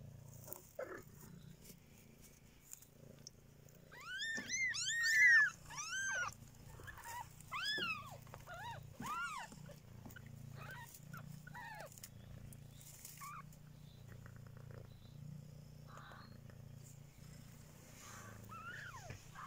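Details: Three-week-old kittens giving a rapid run of high, arched mews that rise then fall, several overlapping in quick bursts before thinning to scattered calls, over a low steady rumble of purring.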